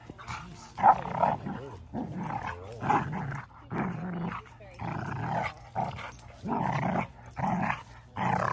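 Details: Standard Schnauzer growling loudly while playing with a puppy he is growing up with, vocal play rather than aggression. Rough, rumbling growl bursts about one per second, each roughly half a second long, with short quiet gaps.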